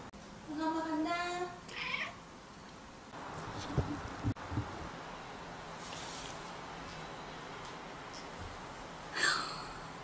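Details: Cat crying loudly indoors as its owner tries to hold it, refusing to be picked up: an opening whiny harmonic meow, then thumps, handling noises and faint human voice, ending with a short sharp squeak.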